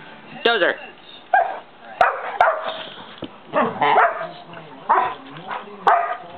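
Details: Dozer, a 5 1/2 month old St. Bernard puppy, barking while trying to get another dog, Simba, to play; loud harmonic barks and yips repeated roughly once a second, with people talking in the background.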